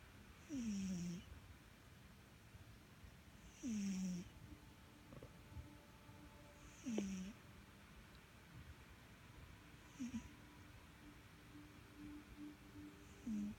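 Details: Sugar, a pet cat, snoring in sleep: five breaths about three seconds apart, each a short droning tone that slides slightly downward, paired with a soft airy hiss, fainter toward the end, over a quiet room.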